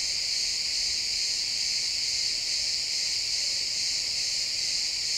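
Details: Chorus of crickets in a pine forest at sunset, XY stereo recording: a continuous high, buzzy trill from many callers, rapidly pulsing and even in loudness, over a quiet woodland background.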